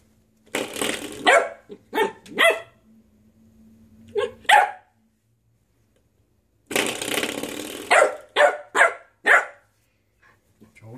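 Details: A puppy named Ein playing with a door stopper indoors, giving short bursts of yappy barks and growly yelps in two clusters, separated by a few seconds of quiet, with a person's voice briefly in between.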